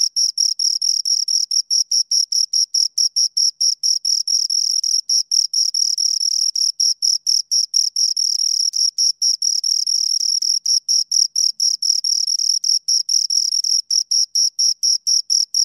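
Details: Pair of crickets stridulating near the microphone, a continuous run of shrill, rasping pulses repeated rapidly and evenly, sometimes blending into a near-continuous buzz, in an otherwise silent setting.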